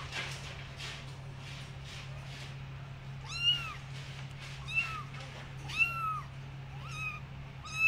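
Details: Marshmallow Munchkin kittens mewing: a series of high, thin meows, each bending up then down, repeated about every second from three and a half seconds on, over a steady low hum.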